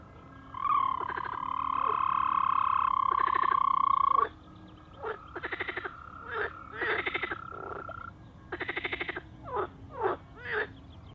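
A toad gives a long, steady musical trill, followed by shorter pulsed bursts and quick chirps.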